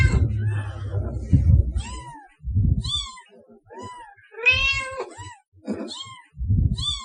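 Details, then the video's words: Cat meows meant to lure cats: short curved meows of rising-falling pitch about every second, alternating with heavy low rumbling thuds, one meow noticeably louder and rougher near the middle. "Cat Sounds to Attract Cats"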